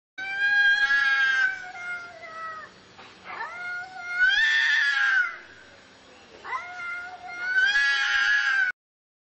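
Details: A big white Persian cat meows three times. Each meow is long and drawn-out, with a rich, wavering, nasal tone. Softer breathy murmurs fill the gaps between calls, and the setting is otherwise quiet.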